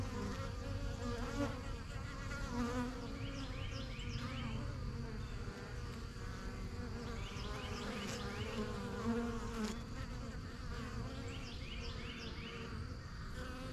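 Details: Busy backyard honey bee hive, the yellow box and strongest colony, bees settling into a new home; constant low buzzing drone with bees zipping past close by and brief chirping sounds above.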